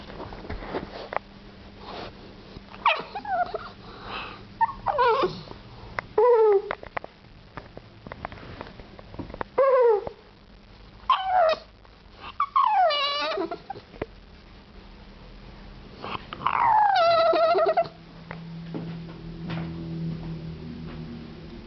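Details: A 4-month-old English Bulldog puppy indoors, wanting to jump on a bed, makes weird high whining cries that swoop down in pitch, several drawn-out wavering whines with pauses between, then a low steady hum at the end.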